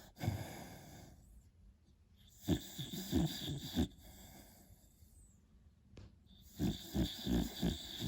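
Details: Snoring from a sleeping beagle puppy: repeated low, wheezy, gurgling pulses in quick runs, a brief quiet gap, then another series of snuffling snores.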